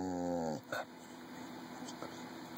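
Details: Red heeler Jr, aged 14, prompted with candy to say "mama": a half-second tonal, buzzy vocalization that slides downward in pitch and ends abruptly, then quiet room sound with a human voice asking his name.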